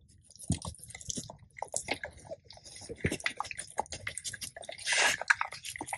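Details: Two male Labrador retrievers, Tico, a black Lab, and Remi, a yellow Lab, on a raw diet crunch deer ribs and quail; loud cracking bites and wet crunching come in irregular bursts, with a longer grinding crunch near the end.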